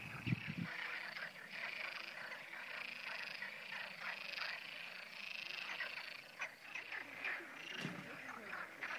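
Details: Frogs croaking along the Camino Francés between Burgos and León in May 2011, a dense steady chorus of overlapping rattling croaks with occasional louder knocks and faint voices nearby.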